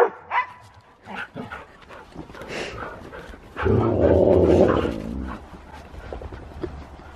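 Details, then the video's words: Siberian Husky going crazy with zoomies in fresh snow, giving loud excited barks and a long sustained howl-like vocalization in the middle, with scattered yips and a person talking faintly. "Husky goes crazy in the snow! |Husky Zoomies|"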